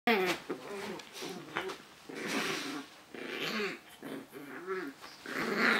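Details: Pug rumbling indoors: a string of short, wavering, throaty grumbles with stacked harmonics, broken by brief pauses, over a faint hiss.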